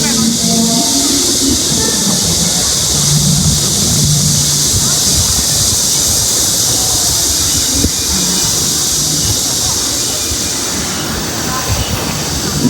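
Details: Cicadas along Yuntaishan Road in Zhenjiang, Jiangsu, China, at dusk, a continuous high shrill buzz throughout, beneath a man talking and town noise.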